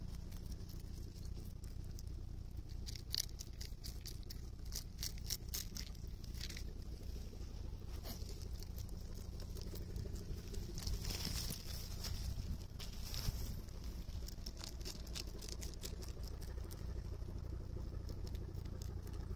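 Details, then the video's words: Rabbit munching cabbage on Okunoshima, Rabbit Island, June 2021. Fast runs of crisp crunches alternate with quieter stretches, over a heavy, continuous low-pitched rumble. "【キャベツしっかり噛んで食べてるね 健全な咀嚼音】大久野島 うさぎ"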